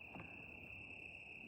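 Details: Crickets at night at a campsite under a full moon, with wildfire smoke in the air. A steady, continuous high-pitched trill holds without a break, over faint low background rumble.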